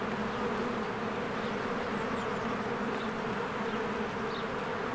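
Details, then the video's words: Honeybees swarming in and out of a hive on a spring day with flowers in bloom. A constant low buzzing drone, with a few faint high chirps drifting over it. "1 Hour of a Beehive ASMR"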